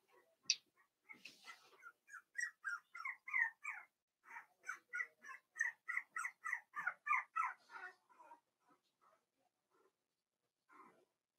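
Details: Four-week-old Cavalier King Charles Spaniel puppies from Daisy's litter in an indoor pen, one pup whining steadily: a regular series of short, high, slightly falling cries about three per second, fading to soft squeaks.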